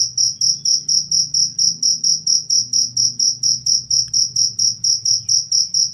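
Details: Chirps of a cricket, used as a tutor sound for cage birds and to drive away rats. Short bright pulses come evenly about twice a second, each slightly swelling, with faint low rumble underneath.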